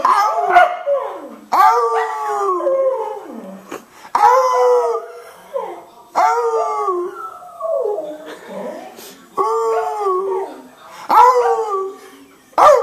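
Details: Cardigan Welsh Corgi, a male, singing along with a man: long wavering howls that slide downward, about five drawn-out phrases with rich harmonics, separated by short breaks, with a human voice joining in.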